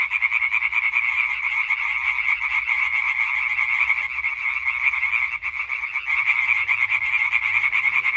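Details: European tree frog chorus recorded 20 May 2023: a dense, continuous wall of rapid nasal croaks, many males overlapping into a steady rattling drone, with a brief dip in loudness near the middle.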